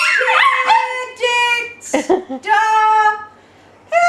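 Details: Almost year-old Chihuahua, possibly a mix, howling along as people sing Happy Birthday: loud, wavering, harmonic howls, with a sharp yelp-like burst midway, then a long sustained howl, and another howl starting at the end.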